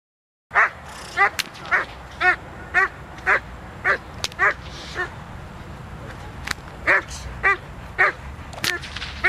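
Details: Doberman Pinscher named Zita during protection work, November 24th 2009: loud harmonic barks repeated about twice per second in a steady series, with a low background rumble.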